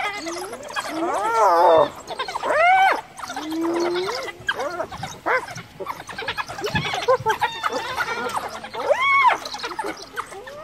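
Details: Female hyena in Kruger, cornered by wild dogs beside her dead cub, calling clan members for backup: loud, harmonic rising-and-falling squeals and groans in quick bursts, with overlapping higher chirps from the dogs and light background noise.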